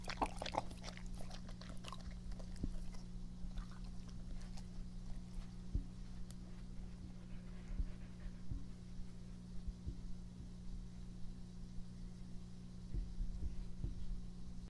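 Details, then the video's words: Epo the dog in a close-up ASMR recording of breathing, chewing and drinking. Crisp wet clicks and crunches cluster in the first three seconds, then sparse soft ticks continue over a steady low hum. "ASMR🐕 breath/Mastication sound/drink"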